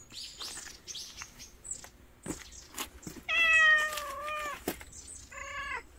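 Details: Timid stray mother cat meowing outdoors: a drawn-out, steady, slightly wavering meow followed by a shorter second meow, after scattered clicks, taps and rustling noises.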